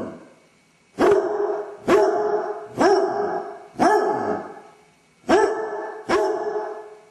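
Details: Basset hound left alone at home with separation anxiety, caught on a camera: six loud harmonic barks, about one per second, each with a sharp onset and a brief falling tail.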